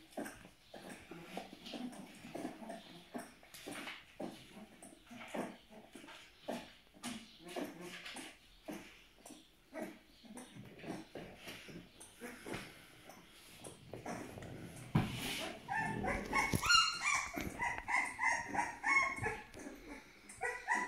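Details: Twelve-day-old Aksaray Malaklı puppies make faint, rapid whimpers over steady rustling. Louder, higher whining cries take over near the end.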